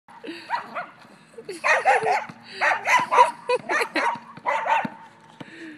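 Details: Dachshund barking while playing with a basketball: a run of sharp, rapid yaps, mostly in quick clusters with brief pauses, some faint background voices.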